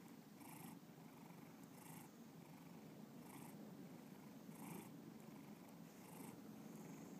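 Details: Steady low purr from the pet cat Bubba, a constant deep rumble with regular breathy swells about every 1.4 seconds, heard close up in a quiet room.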